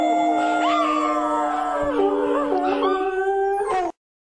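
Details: Dog howling in sustained wavering tones, a steady low note held under higher rising and falling voices, ending abruptly in silence after about four seconds.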